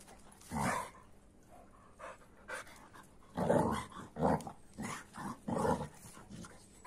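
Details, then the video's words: AmStaff and Kuvasz dogs in rough play, with short bursts of growling and panting arriving in irregular clusters, some louder than others, separated by quiet gaps. "AmStaff VS Kuvasz 8 Minutes Of Rough Playing"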